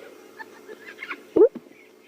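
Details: A spotted hyena cub, one of twins, gives a short rising squealing whine and a fainter squeak, a begging sound while its sibling suckles, during a morning safari drive, over a low steady hum.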